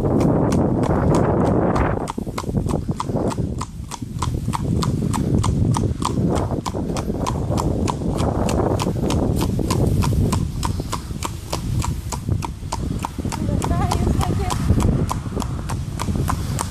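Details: Horse ridden along a road in Vianen. Its hooves give steady, sharp clip-clop strikes about three to four per second on the hard surface. A low rumble of traffic or wind runs beneath, and a brief spoken thanks comes at the start.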